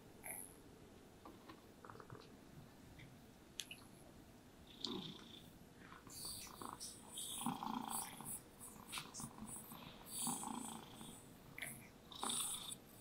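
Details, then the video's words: Happy domestic cat purring contentedly while being brushed: a soft, continuous low rumble, quiet and fairly clear for the first six seconds, then overlaid by scratchy, rhythmic brush strokes and rustling fur. "Happy Cats Purring Sounds with Brushing Sounds"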